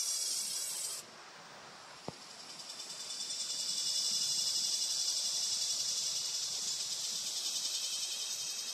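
A cicada's shrill, high buzzing drone swells in and holds, throbbing in steady pulses.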